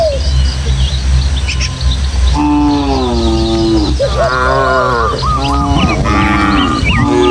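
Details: Tame village cattle from a herd of dozens heading through hilly countryside toward their pen: a long, low, wavering moo repeated from mid-clip, with bright bird chirps above and a steady low hum beneath.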